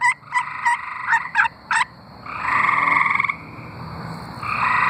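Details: Tree frogs singing in Arkansas. A few brief, sharply separated pulsed notes give way to a longer, steady pulsed trill lasting about a second, with another caller's trill starting near the end.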